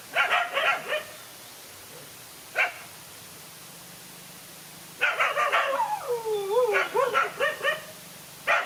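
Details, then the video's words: Dog fight with one dog facing two male dogs: short bursts of barking separated by quiet gaps, then a rising and falling whine mixed into a longer barking spell, and a last bark at the end. "No fear to fight a lone again two male dogs"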